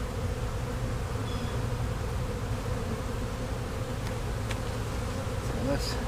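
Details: Honey bee swarm that moved into a hive box in Louisiana only that day, buzzing as frames are lifted and inspected; a steady low, dense hum throughout with a faint whine above it.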